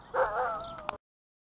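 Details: Alaskan Malamute, a large wolf-like dog seen loose rather than tied up, gives one drawn-out tonal 'woo' lasting under a second. The voice is rich in harmonics, rises slightly, then levels off and ends with a short click.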